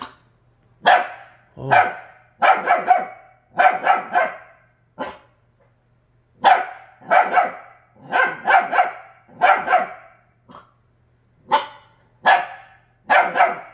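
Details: Seeing itself in a refrigerator for the first time, a rescued purebred Jindo dog barks steadily: harsh, forceful barks grouped in twos and threes, a quiet gap of about a second midway, then renewed rapid barking.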